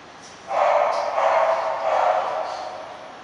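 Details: English Bulldog called Princess at a breeder, letting out a drawn-out, muffled bark-like vocalization lasting over two seconds with slight pulses, against a low constant hiss.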